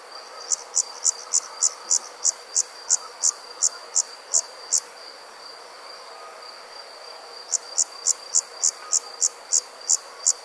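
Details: An insect gives a steady high whine in the evening, overlaid with sharp, rapid chirps, about three per second.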